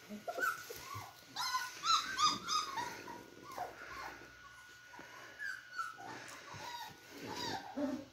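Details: Playing Beagle puppies give squeaky, rising whines and sharp yelps in quick clusters, mixed with rough growl-like noises and scuffling, against a faint steady hum.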